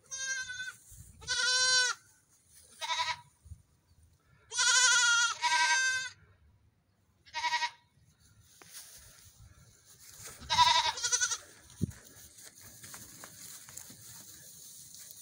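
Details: Young goat kids on a morning run, bleating in short harmonic bursts, several overlapping calls in quick succession during the first eight seconds, then quieter rustling and faint bleats toward the end.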